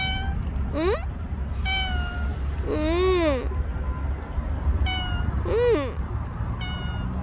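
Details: Bolt, a stray cat that stayed near one household for a year and five months, in its final recording: several drawn-out, arching meows at irregular intervals, some bending up and down in pitch, over a steady low rumble with soft voices.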